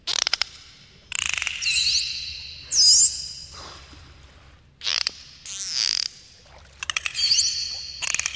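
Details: Underwater dolphin sounds: sharp click trains and harsh buzzing pulse bursts, broken by a loud high squeak near the three-second mark and short swept whistles. No other sounds are clear.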